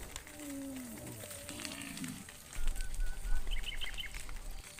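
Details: Tame cows in a herd wandering along the road home to the barn; one low, drawn-out harmonic moo lasting about two seconds, then rustling and scuffing noises with faint higher chirps behind.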